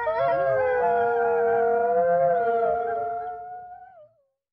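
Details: Wolves howl in a group. Several long, overlapping tones hold near one pitch with wavering upper voices, then fade out together.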